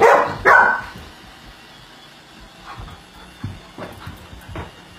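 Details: Four-month-old Great Pyrenees and Golden Retriever mix puppy barking at a Roomba; two quick loud barks at the start, then faint scuffling and softer sounds.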